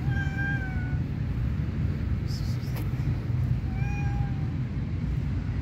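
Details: Stray street cat, shy and waiting to be picked up, meows twice: a long falling call, then after a pause a shorter one, over a constant low outdoor rumble.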